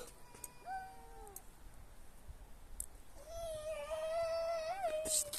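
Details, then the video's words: Domestic cat making weird screaming noises indoors: two short wavering meows early on, then a long sustained nasal yowl holding steady pitch for about two seconds with a slight rise near the end. "screaming cat (cat making weird noises)"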